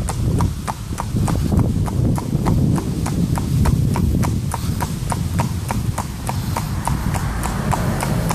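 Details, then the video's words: Ridden horse walking along a road in Vianen: steady, crisp clip-clop hoofbeats about three per second, with a low, constant rumble of wind or traffic underneath. "judith rijd paard op de weg vianen"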